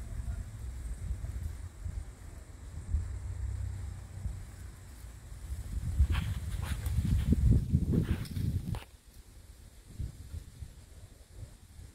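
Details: Outdoor rustling and low rumble with scattered footstep-like thuds and scraping, strongest mid-way, then a quieter background.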